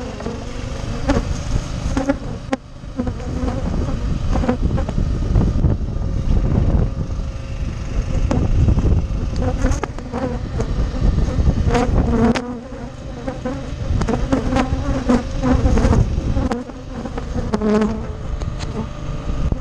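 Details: Humming of rescued honey bees while they take sugar syrup, a continuous low buzz that swells and fades, with brief brighter whines as bees pass close and scattered knocks in the background.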